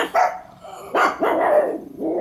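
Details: Pet pug indoors barking because she thought someone was at the door, holding a toy in her mouth; three muffled, harmonic barks with a throaty, whining tail, the last one stretched out.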